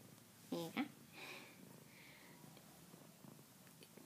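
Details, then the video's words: A pet cat talking with its owner gives a short harmonic meow that bends downward, followed by fainter tonal sounds, with quiet speech and room noise around it. "Talking kitty cat"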